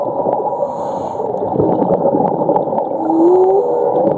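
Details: Underwater whale sound from Ningaloo Reef, Western Australia, where whales migrate in winter: a short upward-sliding tonal call near the end, over dense, continuous water hiss with scattered clicks.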